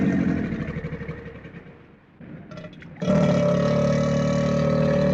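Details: Crocodile growling: a rasping rumble fades to near quiet, then a sudden loud, sustained throaty growl with a strong droning tone bursts in and holds to the end.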